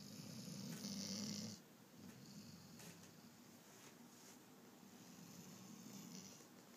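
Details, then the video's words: Sleeping German Shorthaired Pointer sawing logs: a soft, low rumbling snore at the start, then quieter steady breathing with a faint hiss in the background. "Let sleeping dogs lie German shorthair sawing logs"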